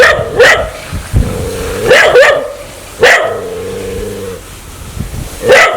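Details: A dog wanting to bite people gives sharp snarling barks about once a second, separated by sustained low harmonic growls that hold steady between the outbursts.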